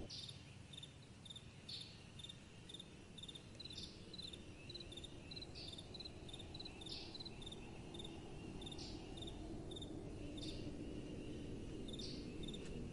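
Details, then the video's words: Crickets at night keep up a steady series of sharp, high-pitched pulsed chirps roughly twice a second, with occasional brighter rasping bursts, all over a soft, continuous wind noise. "Relaxing Night Time Sounds | Crickets & Soft Wind"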